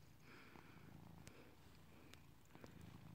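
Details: Cat purring on a bed in a room indoors, recorded March 2nd 2022: quiet continuous low rumbling purr with faint clicks and rustling.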